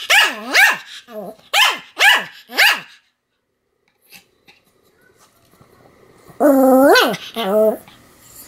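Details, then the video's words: Continuous barking from Sam the Pomeranian, 7 October 2015: five quick sharp barks, a near-silent gap of three seconds, then two longer howling, wavering barks. "犬の鳴き声 ポメラニアン サムの連続吠え"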